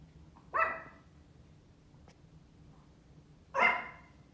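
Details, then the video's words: A female Pomeranian outdoors gives two sharp, high-pitched barks about three seconds apart. "Female Pomeranian barking outdoors funniest dog barks"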